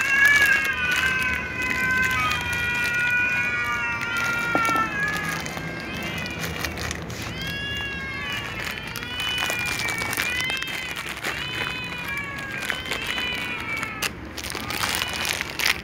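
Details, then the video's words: Hungry domestic cats, among them ginger and silver cats, meowing pitifully at meal times; a dense chorus of overlapping rising-falling meows, several per second, with clattering and tapping sounds throughout. "little cats , tom cat , ginger cat , silver cat meows pitifully at meal times"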